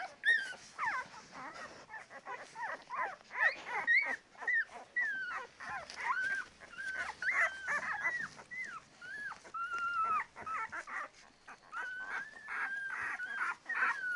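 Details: Ten-day-old Labrador Retriever puppies whining nearly nonstop, a dense chorus of high wavering whimpers and squeals overlapping throughout, some drawn out and bending in pitch.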